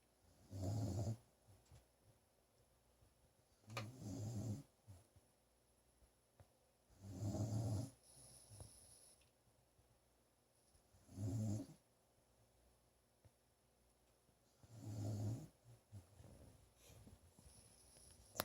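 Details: Small pet dog sleeping indoors while recovering from a serious coyote attack, snoring away after her medication: six low, rasping snores, each about a second long, coming roughly every three and a half seconds, with quiet breathing between.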